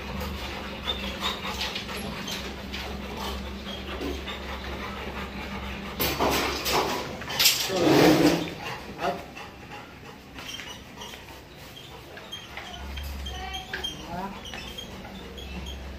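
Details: Labrador Retrievers Cholo and Luna during a stud mating session: whimpering and short, uneven dog vocal sounds, loudest near the middle, over a steady low hum with handling noises and a little human speech.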